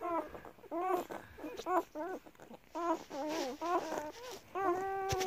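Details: Nursing German Shepherd puppies feeding from their mother: a steady run of short wavering whimpers, each a bent harmonic squeal about every half second, with quiet rustling beneath.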